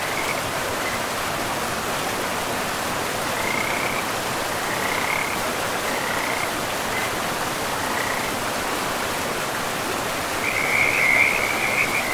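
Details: In a pristine forest by a river, frogs give scattered high chirps over a steady rushing of water. Near the end, a denser, louder trilling burst takes over.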